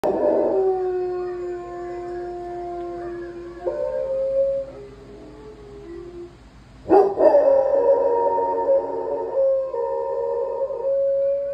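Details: A Golden Retriever howls along with a video, giving long, drawn-out howls that waver and slide in pitch.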